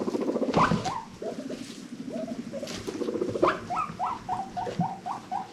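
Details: Pet guinea pigs from a rescue-adopted herd of five wheeking happily: scattered rising squeaks early on, then a steady string of short upswept calls repeated roughly twice a second, over a low purring buzz.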